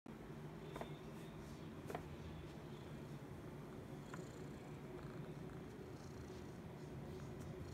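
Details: A relaxed male Persian-mix brown tabby rescue cat sitting in a shopping bag purrs steadily with a low, continuous rumble and a soft pulsing rhythm. Recorded 21 December 2019 in Brisbane, Australia.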